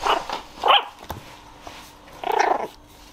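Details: A male Jack Russell Terrier puppy, born 5 September 2020, gives short, high, whiny yelps and a longer wavering cry; he has lately begun crying for attention.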